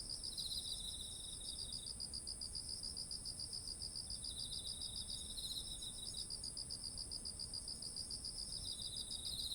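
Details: Autumn insect chorus by fields of ripe rice, steady pulsed chirps repeating a few times per second, a lower trilling caller joining in short bouts, over a constant high-pitched drone and faint low background noise.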